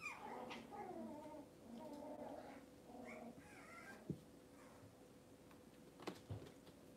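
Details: Cavalier King Charles Spaniel puppies indoors on a kitchen cam on a cloudy Monday morning, giving a run of thin, wavering high whimpers and whines over the first three seconds, then quieter with a few soft knocks.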